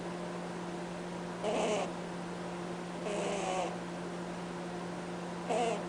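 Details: Cadbury, a pet bunny, honks while asleep: three short nasal snores at about 1.5, 3 and 5.5 seconds, each a brief breathy honk with a faint tone. A steady low room hum runs throughout an otherwise quiet indoor space.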